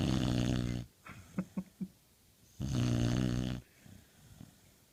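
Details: A pit bull snores in two long rasping bursts, each about a second, separated by a pause holding a few soft clicks and snuffles; low buzzing tone with breathy hiss.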